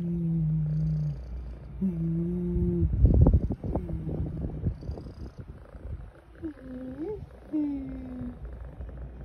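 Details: Cat calls over a low rumbling background: steady drawn-out tones early on, a burst of thumping noise, then rising-and-falling mews near the end.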